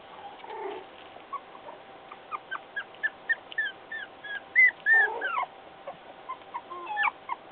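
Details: Puppy trying to escape, giving thin, high whimpering whines that curve up and down, some short and some drawn out, in irregular bursts with faint scuffling between them.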